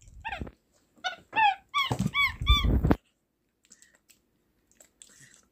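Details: Small pet capuchin monkey kept at home, making the squeaky sounds it uses to communicate: a quick run of about eight high, arching chirps packed into three seconds, then near silence with faint rustles.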